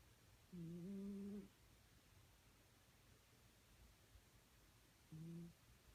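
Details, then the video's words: A pet cat snoring, with two low, steady, humming snores: a longer one lasting about a second, then quiet, then a shorter one about four seconds later. The background is otherwise very quiet. "My cat snores"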